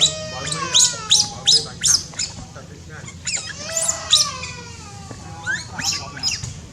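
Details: Cambodian newborn baby monkey, born in tall trees, calling with bursts of piercing squeals mixed with drawn-out descending whistled cries rich in overtones, pausing briefly midway, against a faint steady hum.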